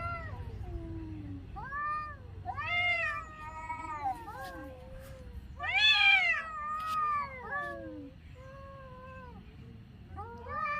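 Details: Several cats crying in a quiet setting, loud clear meows in quick succession, arching up then falling, one louder strained wail near the middle, overlapping voices throughout and faint low hum below.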